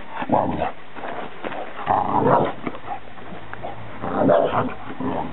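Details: Two dogs on their first meeting: Jake, an American Bulldog, and little Fae, a Scottish Deerhound who soon showed him who was boss. Three rough growling bursts come about two seconds apart, low and gravelly.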